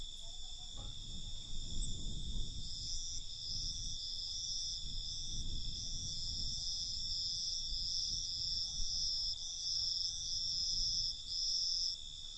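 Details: Loud cricket chorus at night, a bright continuous high trill with a pulsing upper band, and faint low rumbles that fade during the second half.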